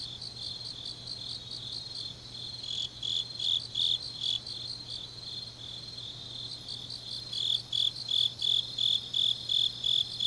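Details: Grass insects chirping on a deep autumn night in Changnyeong, South Korea: a thin high buzz that breaks into louder bursts of rapid chirps, fading and returning, with a faint low hum throughout.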